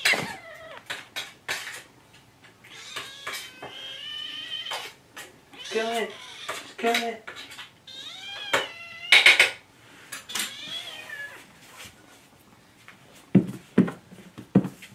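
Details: Several kittens named Jugg, Anita and Ru meowing for food in the morning, overlapping high, wavering cries with rising and falling pitch, mixed with clinking dishes and cutlery and a short spoken phrase.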